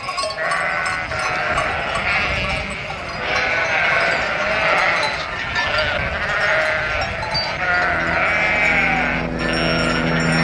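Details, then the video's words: A flock of sheep bleating together in a dense, overlapping chorus of wavering calls, with a steady low hum and a faint bell-like ringing entering toward the end. "Sounds of nature and animals: horse, cow, rabbit, rooster, chicken, wild boars, sheep, goats, ducks"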